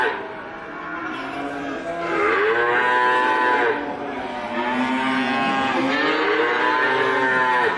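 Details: Cows lowing in a continuous series of loud, rich moos, each swelling and then sliding down in pitch, overlapping one another and roughly every few seconds.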